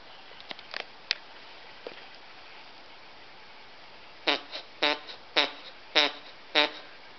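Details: Pet dogs Chauncey, a Cockapoo, and Murphy, a Scottie mix, at play; scattered clicks and thumps give way to five rasping, downward-sliding vocal bursts in quick, fairly even succession near the end.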